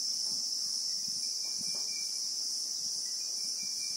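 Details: In South Africa's bushveld among acacias, Christmas beetles (Anoplognathus) keep up a continuous piercing buzz, even and unvarying over four seconds, with a weak thin tone and scattered soft low knocks in the background.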